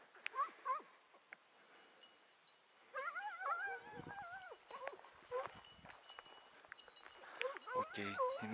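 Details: Hounds baying on a hare hunt on 6 October 2018, a morning trail with a quick flush and a chase: wavering, yelping, whine-like bays in bursts, loudest mid-clip and again near the end, with human voices in between.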